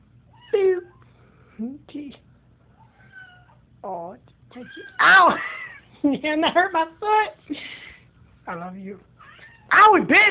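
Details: Domestic cat indoors giving a run of loud, harmonic meows, some short and others drawn out, wavering and whiny, about eight bursts over ten seconds, with a person talking in between.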